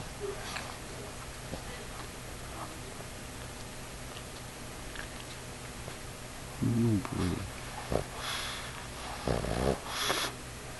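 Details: A 50-pound pug sleeping on its owner's knee while cuddling snores in two rough, low, throaty bursts a few seconds apart. Quiet room noise fills the gaps between them.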